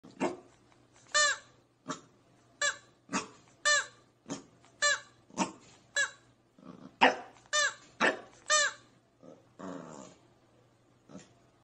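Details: A Pembroke Welsh Corgi puppy barks at a toy: shrill, quick single yips, some doubled, about a second apart. A faint steady hum sits underneath, with softer scuffling near the end.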